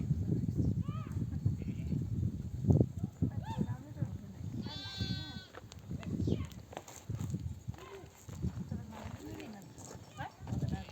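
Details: Mother sheep of a nomadic flock, back from desert grazing among oak trees, bleating to call their lambs to nurse. Several wavering bleats, one loud harmonic bleat near the middle, over a steady low rumble of the moving flock.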